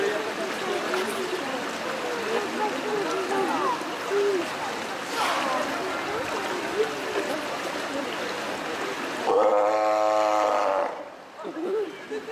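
A crowd of Steller sea lions keeps up an overlapping din of calls, with one loud, deep roar.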